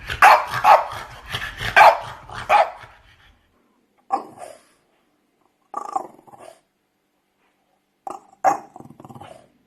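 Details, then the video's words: Playing French Bulldog giving a quick cluster of barks mixed with growly rumbling, then three softer, shorter yips spaced a second or two apart with quiet between. "French Bulldog Barking Sound Effects // Barking Sounds For Dogs Playing"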